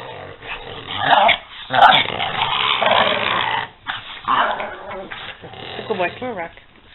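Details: Playful growling from two dogs, Peanut and Daisy, as they wrestle: harsh rumbles in uneven bursts, then a series of short wavering whine-like notes at the end, while a person calls to the dogs.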